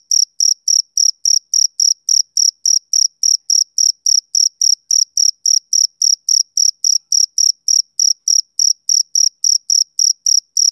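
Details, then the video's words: Male cricket chirping on and on, shrill buzzy pulses evenly repeated about four per second, forty-odd in a row, with a quiet background throughout. "Cricket Chirping Sound Effect"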